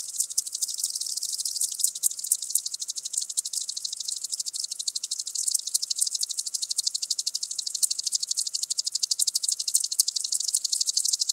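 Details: Common green grasshopper singing at Tschenn, Italy, on 19 August 2019: a long, even, high-pitched ticking buzz of rapid dry pulses that slowly swells in loudness, with no other sounds.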